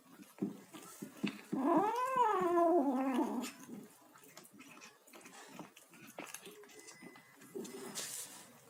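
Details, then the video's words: Kitten vocalizing while eating, giving one drawn-out meow that rises, arches and falls over nearly two seconds, then quieter clicking and chewing noises in a small indoor space. "kitten making noises while eating"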